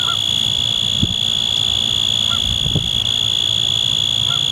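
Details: A male Forbes' tree cricket stridulates a continuous, even, high-pitched trill holding one pitch, on a windy 6 October at Danada Forest Preserve, Wheaton, Illinois; wind rumble and a few soft distant Canada goose calls sit beneath it.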